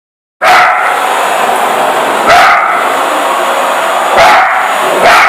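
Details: Female Parson Russell Terrier barking at a running vacuum cleaner, first afraid, then fighting for her territory; sharp barks burst out about every two seconds over the loud, steady roar of the vacuum.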